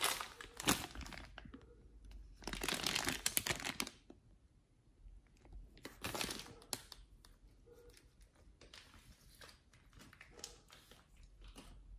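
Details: Crinkling, tearing and crunching bursts in a small indoor room, with no animal call heard.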